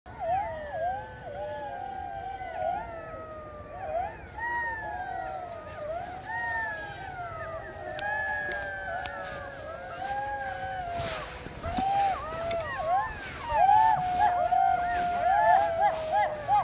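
Golden jackals howl together at night in wavering, rising and falling wails broken by quick yips.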